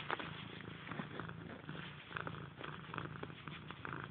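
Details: Pet cat purring indoors, a steady low rumbling motor-like drone with regular pulses throughout.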